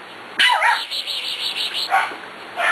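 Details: Six-week-old puppies at play, jumping on a young female from an earlier litter: a sharp high yip opens, then a run of quick rhythmic squeaky sounds for about a second, and another short yelp near the end.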